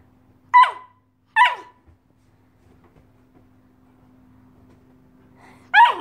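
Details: An Alaskan Malamute puppy, playing hide-and-seek and teasing his Husky sister from his favourite hiding spot, gives short, high yelping barks: a quick pair, then a third after a pause, each falling steeply, over a steady low electrical hum.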